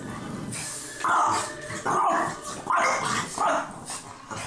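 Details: French Bulldog on an October morning giving a series of four short, nasal, whiny yelps, each rising and falling, spaced under a second apart, with a faint background hiss between them.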